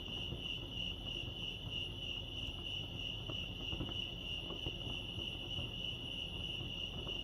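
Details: High, steady cricket trill from Lake Arrowhead, California, rapid pulses at one constant pitch, with soft scattered low clicks and rustles in the background.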